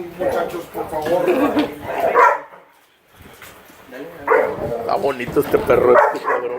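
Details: Rough play among Great Dane puppies brings rumbling growls and gruff barks in two loud spells broken by a brief near-silent pause, with human speech audible alongside.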